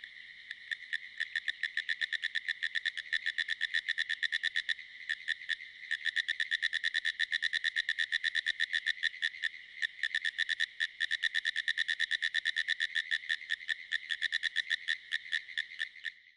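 A pine woods treefrog calls in rapid, clicking pulses that run in long, rattling, Morse-code-like bursts.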